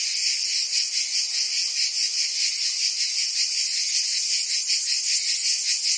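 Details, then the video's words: Provence cicadas singing in summer in southern France; an intense high-pitched rasping drone that throbs in quick regular pulses, steady volume, no other animals or background noise. "Cicadas singing in France (Provence)"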